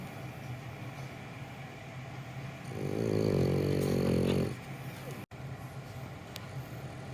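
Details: French Bulldog Gonta, asleep while held in someone's arms, gives one long, rumbling snore lasting nearly two seconds, a low buzzy rattle made of fast regular pulses, over a steady hiss of background noise.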